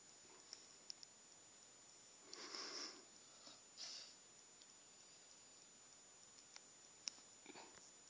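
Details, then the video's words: Puppy named Charley making noises in his sleep: two short, breathy nasal snorts, each with a thin high squeak, about a second and a half apart, then quiet with a few faint clicks in a still indoor room. "Cute Puppy Makes Noises In His Sleep"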